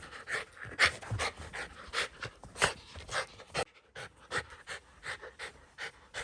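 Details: Pet Shiba Inu Ranmaru, indoors, thrilled after discovering the sister, away three months, hiding under a blanket, running around it; rapid rhythmic breathy pants, roughly two or three per second, with a brief pause midway.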